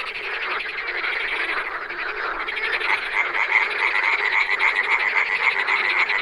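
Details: Wild frogs croaking together in a fast, continuous chorus that grows gradually louder, with a ringing note repeating clearly in the second half.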